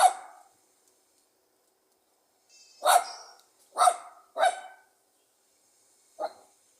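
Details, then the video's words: Pug dog giving sharp, confident, lively barks, strong for its small size: one opening bark, then three in quick succession about half a second apart and a last softer bark, with faint high squeaky tones in the background. "The pleasant sound of a Pug dog barking."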